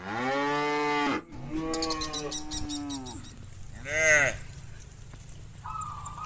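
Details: Herd of tame cows from a village heading to the rice fields in the morning; one long, strong moo, then a lower, wavering moo with clicking behind it, then a short, sharp moo, and a faint, level tone near the end.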